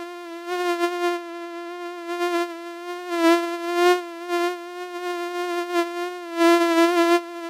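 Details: Persistent mosquito flight buzz, a monotone high whine full of overtones that rises and falls in volume, with two strong swells midway and another near the close.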